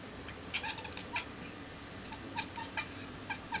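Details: Young female kitten hunting a fly, giving short clipped chirps and chattering calls in quick bursts, about ten in under four seconds, over a low steady hum.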